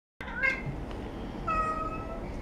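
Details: Cats at a cat café in Sendai, an older cat and a kitten begging for treats; two short rising-falling meows in a small room, followed by a person speaking.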